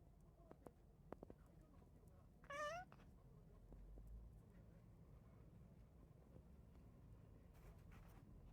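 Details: Domestic cat, one of three cats living together in a home, giving a single short wavering meow about half a second long, high and harmonic-rich, set against quiet room noise with faint taps.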